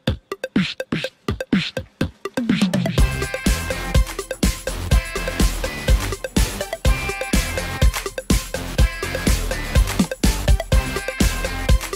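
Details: Electronic dance music with a steady thumping drum-machine beat and synth chords; no animal sounds.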